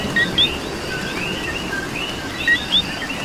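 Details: In Puerto Rican rain, a coqui gives two crisp co-QUI calls about two seconds apart, each a brief low whistle leaping to a higher upslurred note. Other frogs trill softly behind steady rain hiss.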